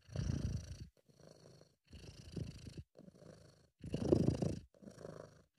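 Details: British Shorthair cat purring, described as a sound made when relaxed or happy; amateur recording. Low rumbling purr in bursts of about a second, pulsing inhale and exhale phases separated by brief pauses.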